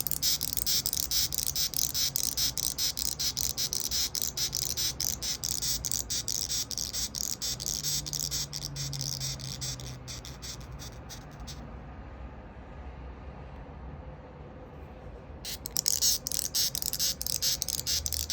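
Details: White-striped longhorn beetle stridulating fiercely with its neck sound organ as a warning when a hand approaches, recorded 11 July 2021 at 21:23; rapid dry scratchy rasps, about two per second, stopping for four seconds before resuming.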